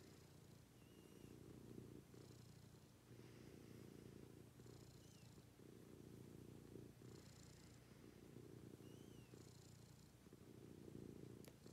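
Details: Pet cat in its morning routine, purring continuously in a low, rhythmic rumble that swells and fades in cycles, with small high whistle-like squeaks breaking through now and then.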